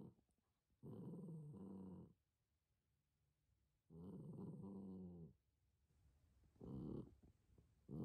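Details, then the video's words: Near-senile dog barking at no one: long, low, harmonic, growly voiced bursts of about a second each, three in a row separated by quiet pauses of roughly two seconds. "Near senile dog, barking at no one"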